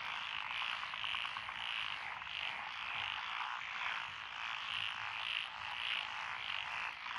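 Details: Dense chorus of frogs in lotus rice paddies beside a country road, Echizen, Fukui, Japan, 12 June 2021; Japanese tree, black-spotted pond, wrinkled, Schlegel's green and forest green tree frogs listed; steady overlapping pulsed croaking in waves.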